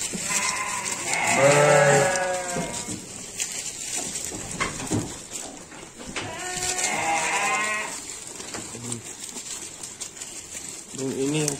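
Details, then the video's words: Garut sheep being offered supplementary feed give two quavering, nasal bleats, one loud near the start and another after a pause of about five seconds, with rustling and handling noises between them. "Domba Garut"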